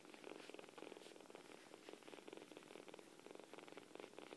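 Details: Kittens purring massively: a steady, fast, rhythmic rumbling purr with pulses rising and falling about every half second, quiet and close.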